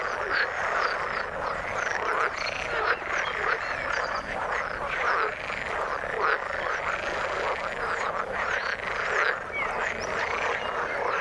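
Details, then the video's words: Frogs in the water keep up a constant pulsing chorus of rattles and croaks, with brief sharper chirps scattered through it. "Frog sound in the water"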